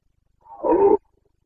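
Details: Carpathian red deer stag roaring during the breeding season (boncănit) in the mountains of Bucovina, 29 September 2022: a single hoarse, harmonic-rich bellow of about half a second that swells quickly and cuts off abruptly, with a quiet background.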